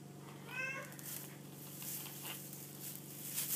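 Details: White female Exotic kitten, eleven weeks old, gives one brief, rising-then-falling harmonic meow early on, followed by quiet indoor room noise with a faint hum.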